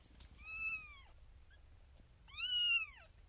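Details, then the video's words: A Siamese kitten, the female firstborn of a litter born 1 April 2021, gives two loud, high-pitched meows from a birthing box beside six sleeping littermates, each meow held briefly then sliding downward, calling for her owner's attention. "SMALLEST Kitten BIGGEST Meow"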